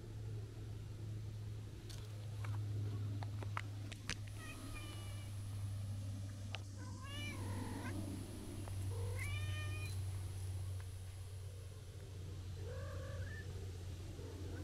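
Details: Drawn-out meows from a stray tortoiseshell cat that ran out after an orange tabby was spotted, three wavering harmonic cries in the middle, then a softer shorter mew, with clicks and a loud low droning hum throughout.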